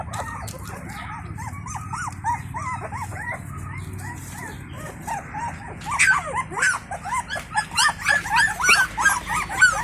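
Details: Stray Indian Pariah dog's puppies, set for feeding while the mother checks on them; dense overlapping high whimpers and yips, quickening and louder after six seconds, with a low hum beneath.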